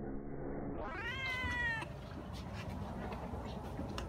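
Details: One of a litter of grey, white and black kittens, born to house cats that were fed and rescued as strays, gives a single drawn-out meow that rises then holds steady for under a second, over a constant low hum.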